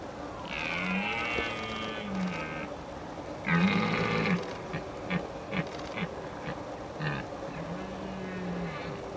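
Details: Red deer stag roaring during the rut in mist, warning off rival males: long, deep, harmonic bellows, the first lasting about two seconds, then a second roar and a run of shorter grunting pulses over a steady hiss.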